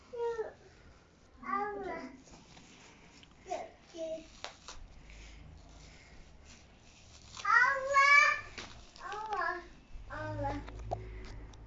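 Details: Two pet Bengal cats indoors, fighting over a plastic bag after playing with it: short arching meows and chirps come in scattered bursts, the longest and loudest rising-then-falling cry midway, with faint rustling between calls.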